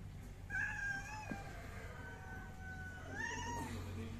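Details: Angora cat giving two drawn-out, tonal meows, the first starting about half a second in and gliding down, the second near the three-second mark, over a steady low hum.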